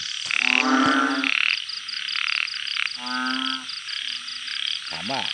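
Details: Banded bullfrogs kept in a backyard garden in Thailand, calling in a chorus at night: low nasal droning croaks in bursts about a second long, overlapping callers, with clapping and music in the background.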